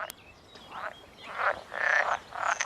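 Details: Male northern pool frogs, reintroduced at a Norfolk, UK pond, call on a sunny morning in the May–June breeding season from warm mid-pond areas, vocal sacs inflating, giving short bursts of harsh rattling croaks to attract females.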